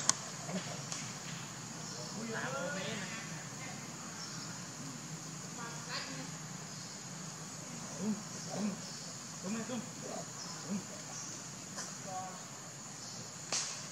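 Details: Baby monkey named Leo crying and begging its mother for milk; short wavering whimpers with rising and falling tone around the second and sixth seconds, then soft scattered cries, over a steady high insect-like hiss and background murmur.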